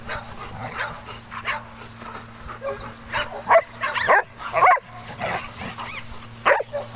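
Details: Dogs playing on a farm give scattered, sharp barks and yips at uneven intervals over a steady low mechanical hum, with quieter stretches between louder bursts.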